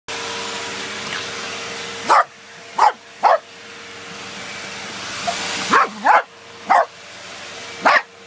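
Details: Two Corgis barking while attacking a running vacuum cleaner indoors. Sharp, loud single barks come in irregular bursts, about eight in all, over the constant droning hum of the vacuum.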